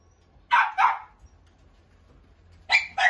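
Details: Corgi giving two pairs of short, sharp, high barks, the first pair at the start and the second near the end, separated by quiet with a faint low hum.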